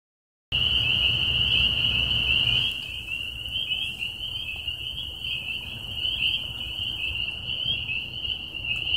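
Spring peepers call in a dense chorus, high piping peeps blurring into a continuous shrill ring.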